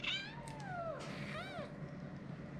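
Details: White kitten named Mika at a Turkish veterinary clinic, described as aggressive and attacking the vet while having blood drawn and a vaccination. Several drawn-out meows, one falling and one arched, over a faint, noisy room background.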